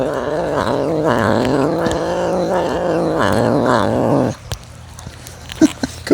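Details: A captive serval growls in a deep, rumbling, wavering groan while eating pieces given by tongs, including food with his medications, then falls quiet.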